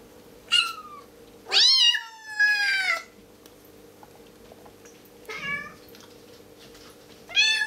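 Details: A tiny, hungry female Bengal kitten gives five insistent, falling meows, some drawn out, a few seconds apart, over a steady low indoor hum, vocalising for raw chicken.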